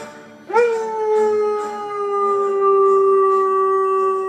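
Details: Female Northern Inuit dog singing along to the opera piece Habanera: a sustained howl starting with a quick upward swoop, then held at a steady pitch for nearly four seconds over soft orchestral music.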